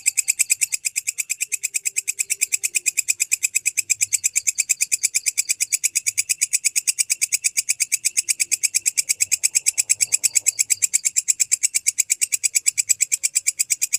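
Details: Walang kecek grasshopper used as tutor material for lovebirds, calling without a break: a long, even train of shrill, rasping pulses at about three per second, steady in pitch and loudness throughout.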